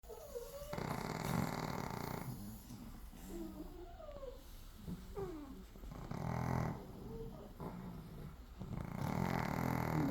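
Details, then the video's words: Chihuahua sleeping at home on an overcast morning in Crimea, with a poodle also in the house; rough, low, broadband snores come in bursts about a second long, separated by a woman's speech greeting the morning. "Принцессы не храпят"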